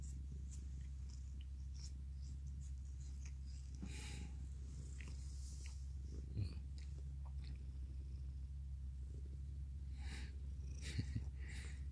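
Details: Continuous low purring from Mikan, an affectional male orange tabby who was once a stray, as he hugs and licks; the rumble stays even for the whole stretch while soft licking and rubbing clicks pop in above it.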